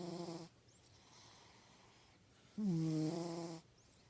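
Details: Domestic cat snoring in its deepest sleep: low buzzy harmonic breaths, one at the opening and a louder one about two and a half seconds later lasting a second, separated by near-silence.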